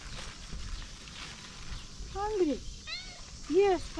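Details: Dirty female cat asking for food and attention, giving three clear arched meows in the second half after a quieter stretch of low background noise.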